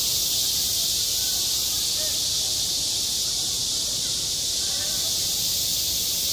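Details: Cicadas singing in high summer at a school playground, a dense, unbroken high-pitched buzzing hiss that holds steady throughout, with only faint scattered murmurs far beneath.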